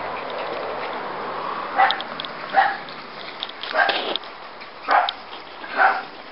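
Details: Scottish Terrier puppies about ten weeks old, a small black female among them, giving five short high yips spaced roughly one second apart over steady low background noise.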